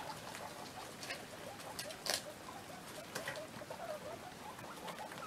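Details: Sixteen baby guinea pigs at play: soft, short, low chirping notes come in quick irregular runs over steady rustling and pattering of small feet and bedding, with one sharper clatter near the middle.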